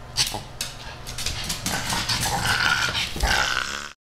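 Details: Rudy the she-pug, keen to play with Ms. Creamy the kitten, gives a run of rapid snorting growls and huffs, rising into a steadier rasping growl before cutting off.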